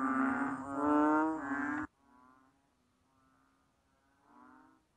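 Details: Banded bullfrog giving a loud, long, buzzy low moan that cuts off sharply, followed by softer, fainter droning notes spaced about a second apart.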